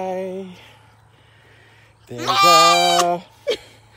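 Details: A goat sings along with her owner to music ("Over the Rainbow"), giving a loud, drawn-out bleat with a wavering start after a shorter bleat and a steady hum.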